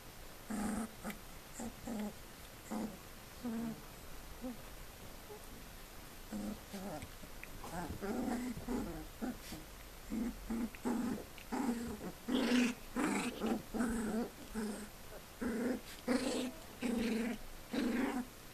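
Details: Four-week-old Collie puppies from one litter growling: many short, gruff, grunting bursts in an uneven series. Higher, whiny squeals grow more frequent in the second half.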